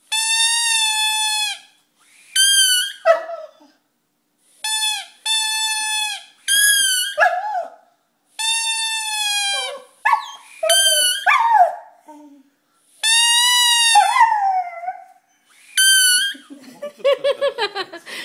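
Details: Male Cardigan Welsh Corgi singing to his squeaky toy: repeated flat, buzzy toy squeaks of varying length mixed with wavering, falling dog howls and yips, ending with a rapid rattle of short squeaks.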